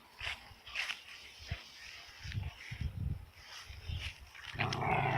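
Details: Excited dog panting in quick, breathy, low rhythmic puffs, roughly four per second, ending in a louder rasping burst; no human speech.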